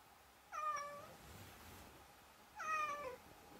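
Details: Pet cat uttering two drawn-out, level meows about two seconds apart, each with strong harmonics, against a quiet indoor background.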